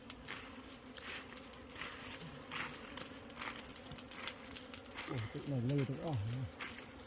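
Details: Bees buzzing during honey harvesting: a steady low hum with faint higher overtones runs throughout, while people talk nearby and a voice grows louder near the end.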